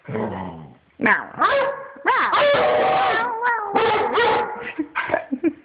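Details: A 1-year-old Treeing Walker Coonhound howls and yips in a rising, wavering run of vocal sounds, begging to play.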